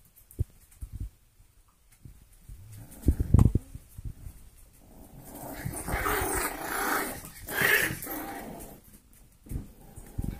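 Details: Four-week-old golden retriever mix foster puppies playing together indoors: scattered soft thumps and scuffles, then a rougher stretch of broadband growling and squealing yips in the middle, fading back to quiet shuffling with a few taps at the end.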